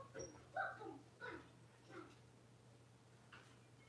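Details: Six-week-old blenheim Cavalier King Charles Spaniel puppies indoors in their puppy pen, giving a run of short squeaky whines and yelps, four or five close together, over a low steady hum.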